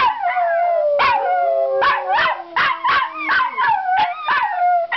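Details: Excited Miniature Schnauzers greet their returning owner: a drawn-out falling howl runs under sharp yelps that come about once or twice a second, each yelp bending up and then down in pitch.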